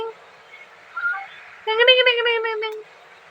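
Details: Pet cat called Bheema, being fondly talked to in Tamil at home, gives one drawn-out, slightly wavering meow lasting about a second and dropping a little at the end; soft speech and faint background noise come before it.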